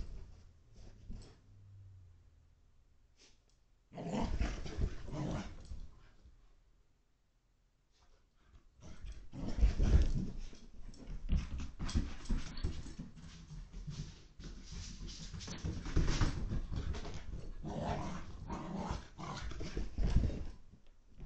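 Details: Excited five-month-old Portuguese water dog puppy zooming through a house in Connecticut, USA, February 2021, after a four-mile walk, training and breakfast, recorded on an in-home security feed. Low grumbles, a quiet pause, then long stretches of harsh, choppy growling.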